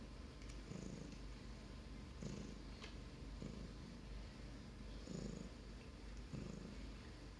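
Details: Grey Russian blue house cat purring indoors: a continuous low rumble swelling in rhythmic breath cycles about every one to one and a half seconds, plus a few soft clicks.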